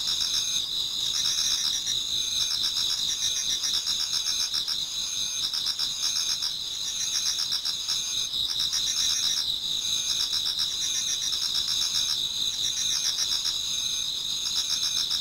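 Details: Autumn insect chorus in a Japanese garden near daybreak, many singers overlapping: bright constant high tones with quick regular pulsing trills, roughly four pulses per second, filling the whole stretch.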